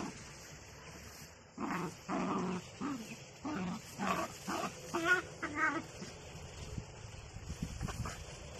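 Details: Miniature Dachshund lets out a run of short, uneven yips and whimpering barks, about two a second for several seconds, then falls quiet over a steady background hum.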